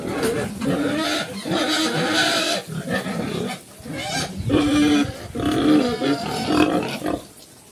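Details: Cambodian black pigs, Chrouk Kandorl, a mother with her piglets on a farm: rough grunts and squeals in clustered bursts with short nasal whines, pausing briefly between groups.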